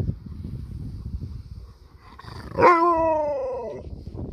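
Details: Sherpa, an Alaskan malamute living in a van, howls when his paw is touched. A single loud, harmonic-rich howl lasts about a second. It starts sharply, then slides gently downward. Soft rustling comes before it.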